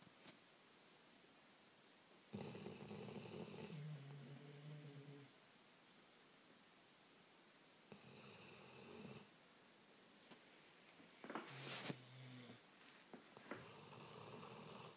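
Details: Two Labradors asleep on a couch indoors, snoring back and forth: rasping, wheezy snore bursts with whistling high overtones at roughly 2, 8, 11 and 13 seconds, separated by quiet gaps.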